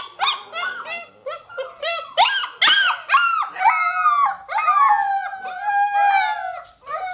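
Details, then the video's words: Several six-week-old Alaskan Malamute pups howl for their mother to feed them while she holds back; overlapping, arching high whines and yelping howls rise and fall in quick succession and keep rising and falling throughout. "Alaskan Malamutes Pups 6 Weeks old howling"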